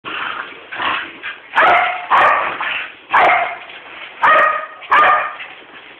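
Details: A 3-year-old corgi frapping gives a run of short, sharp barks and yips, irritating its 12-year-old dog brother and urging him to play.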